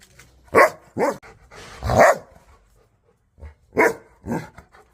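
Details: Angry dog barking, loud harsh barks spaced irregularly, some drawn out and rough, with a short pause before two more barks.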